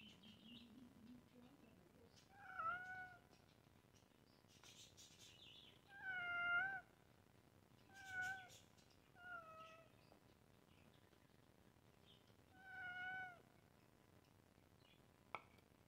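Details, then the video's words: Hungry domestic cat meowing repeatedly: five clear, harmonic meows spaced a few seconds apart, each short and slightly falling, one longer and louder in the middle, with soft high chirps and low room noise between them. "Cat Saying Meow Because Cat Was Hungry"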